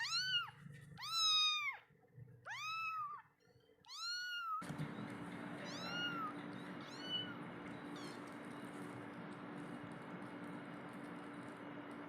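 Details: Kitten crying for its mother and milk, four loud arched meows in the first four seconds, then a sudden switch to broadband hiss with fainter meows fading out.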